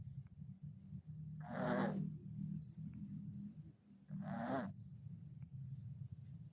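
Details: Sleeping orange cat snores, each breath a loud hissing rasp lasting about half a second, repeated roughly every three seconds above a constant low droning hum.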